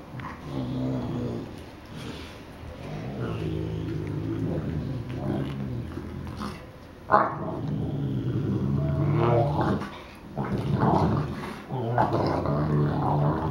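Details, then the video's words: Two Newfoundland brothers 'talking' to each other indoors: long stretches of deep, gravelly growling rumble with pauses between, rising and falling in loudness, with a few human words in the background. "Newfoundland dog : The conversation of brothers!"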